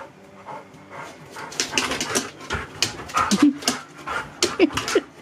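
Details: A Husky in a happy dance pants and gives short rising whimpers and squeaks, several clustered in the last two seconds, with rustling and thumping movement noises.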